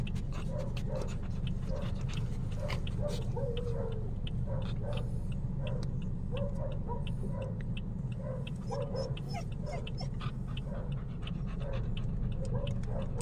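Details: A Chow Chow, with a Shih Tzu nearby, whines in short, high, repeated whimpers, curious and excited to go outside.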